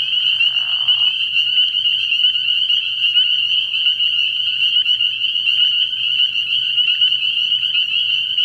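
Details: Early-year night chorus of spring peepers at a frog pond: a continuous shrill mass of high peeps, a lower buzzy call during the first second, and a faint low hum throughout.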